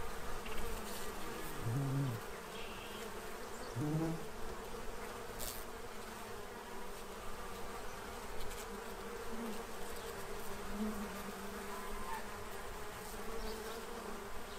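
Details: Quiet, even buzzing of bees feeding to prepare for winter in Central Illinois, with brief low honk-like calls near two and four seconds and a few faint higher notes later.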